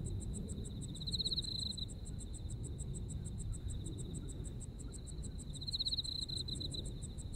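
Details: Insects calling on an autumn evening in Japan: a fast, even series of high ticking pulses alongside a continuous trill that intensifies twice, near the start and near the end, over soft low rumble.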